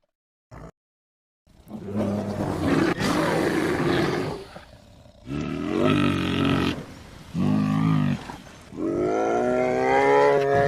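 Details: American black bear of North American forests, vocalising: a short click, then long rough roaring bellows with strong low harmonics, rising and falling, in four drawn-out bursts separated by brief pauses.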